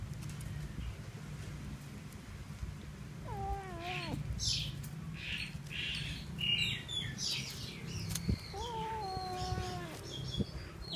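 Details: Cute kitten with a freshly caught little mouse: two drawn-out, wavering meows several seconds apart, with brief high-pitched squeaks between them and a low rumbling background.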